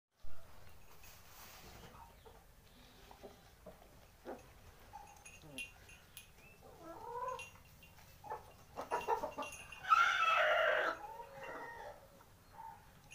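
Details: Four-week-old German Shepherd puppy giving soft whimpers and short rising whines, building to a loud squealing whine near the end, with scattered clicks and handling noises between calls.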